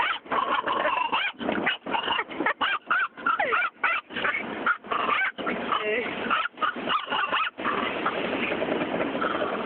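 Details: Female pet dog in a car at a car wash, barking wildly throughout: quick bursts of short sharp barks and high yips with whimpers between, broken by brief pauses, over the steady roar of spraying water and machinery.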